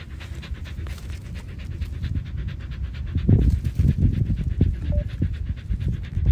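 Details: A Samoyed dog panting: rapid, breathy, irregular huffs, loudening in the second half, with low rumbling handling noise and no clear voices.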